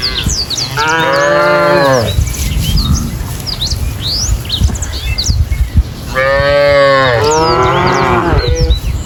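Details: Cow mooing: one loud harmonic moo of about a second, a quiet stretch with bird chirps, then two moos in quick succession, birds twittering behind them.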